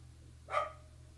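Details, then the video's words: A dog barking outside in the background, heard indoors; a single short bark with a steady low hum throughout. "You hear that dog barking?"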